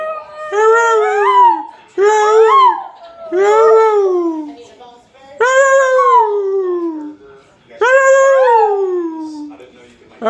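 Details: Pet dog howling alongside its owner: five long, quavering howls that arch up then fall away, a second voice weaving above and below, with brief quiet breaks between the howls.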